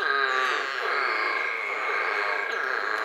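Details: American toads in chorus in Tennessee: long, steady, high musical trills overlap into an unbroken, ringing drone with no pauses.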